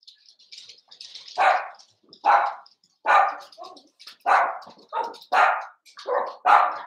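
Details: Barking from a litter of five Blenheim Cavalier King Charles Spaniel puppies aged seven weeks, indoors in a puppy pen; about eight loud, bright yaps roughly every second, with softer squeaks and whines between.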